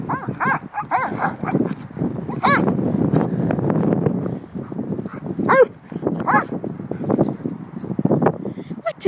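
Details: Two Old English Sheepdogs, Belami and Teddy, play fighting together: continuous low rumbling growls broken by short arched yelping barks, loudest around the middle, with a person's voice asking a question at the end.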